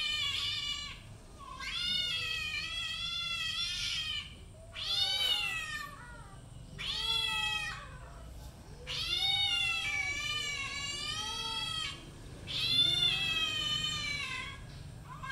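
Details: Cats meowing while playing and fighting happily, giving a run of about seven wavering, whining meows over fifteen seconds. Each cry lasts roughly one to two seconds, with rough, quavering tones and brief quiet gaps between cries.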